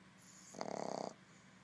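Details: A sleeping Boston Terrier puppy gives a single fluttering snore, a rapid rattling buzz lasting about half a second.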